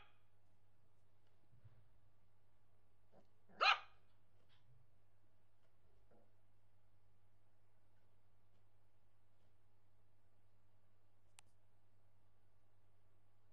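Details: Nervous Yorkshire Terrier puppy named Bobik gives a single sharp, high bark in otherwise quiet indoor surroundings, with a faint steady hum and a few soft knocks.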